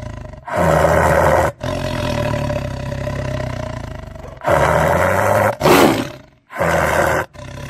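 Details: Lion roaring: long, deep, rough roars with strong low harmonics, each lasting about one to three seconds, broken by short silent gaps, with a brief higher burst near the six-second mark.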